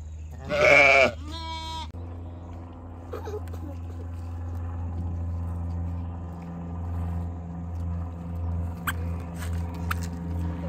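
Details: A herd of around a hundred goat kids jumping and playing. Two loud, harsh bleats come in quick succession at the start, then only a steady low mechanical hum with faint clicks and knocks.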